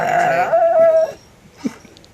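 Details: Pet dog making weird, sooky whining sounds: a drawn-out, steady, nasal whine lasting about a second, then quiet with a faint thump and soft rustling.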